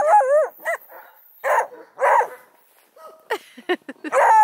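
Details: Playful 4-month-old Redbone Coonhound puppies near Kingston, Ontario, Canada open with a wavering, bending howl, then scattered rough barks and short high yips with gaps of quiet between them.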